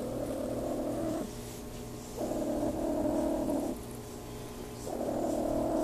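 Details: RagaMuffin cat named Claude purring while being petted: a soft, steady low rumble in long alternating phases, each lasting about one to one and a half seconds, quiet and close with faint background hiss.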